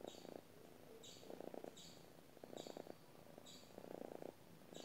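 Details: Sleeping domestic cat purring, a gentle buzzing rumble that rises and fades in regular bursts roughly once a second with breaths, soft and close in a quiet room.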